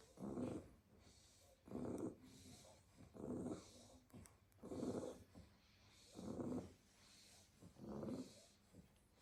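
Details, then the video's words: Staffordshire Bull Terrier puppies, a pile of them asleep in a basket after a full day playing in the garden, snoring in regular rasping breaths about every one and a half seconds, low and rumbling with quiet gaps between. "A basket full of snoring staffy puppies"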